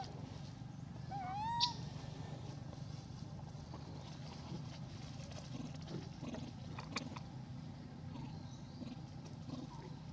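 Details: Elpida, a female hybrid monkey, calls to request food: a single clear whistled squeal that dips, then rises and breaks upward with bright overtones around the second mark, over a steady low motor-like hum with faint clicks.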